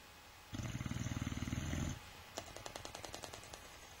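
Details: Sleeping Boxer dog snores in a deep, buzzing rattle lasting about one and a half seconds, followed by a run of crisp flapping-lip clicks repeated several times a second.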